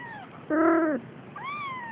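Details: Siamese kitten, male, exactly four weeks old, playing indoors: a short falling mew, then a louder harmonic-rich meow lasting half a second, then a rising-and-falling mew, all high and thin.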